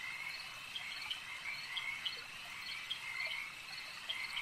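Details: Chorus of frogs at a lake, many voices calling at once; short clipped croaks pop out every fraction of a second above an unbroken shimmering drone of further frogs.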